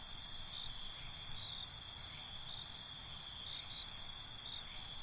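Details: Night-time cricket chorus: rapid, evenly pulsed high chirps about twice per second layered over a constant shrill insect trill, with soft low rumble beneath.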